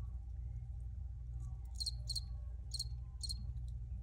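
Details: Cricket chirps: four bright, clipped high pulses after a quiet start, two close pairs near the middle and end, over a constant low droning background.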